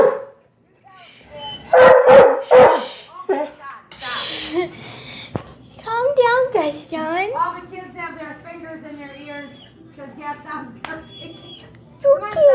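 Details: Dog crying for another dog, loud: a few sharp barks early on, then long wavering whines and howl-like wails sliding up and down, with quieter breaks between.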